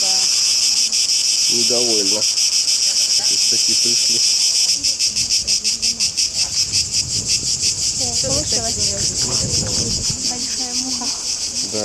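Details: Large cicada singing in the open air at Delphi, Greece, in July 2012 during a tour. A continuous piercing buzz with a fast pulsing texture fills the scene. People speak intermittently, more so in the second half.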